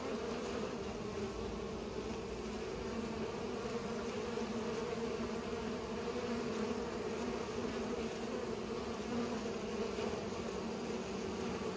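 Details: Bees busy pollinating make an unbroken, even buzz, a low rich hum sustained at constant volume, with a faint tick near the start.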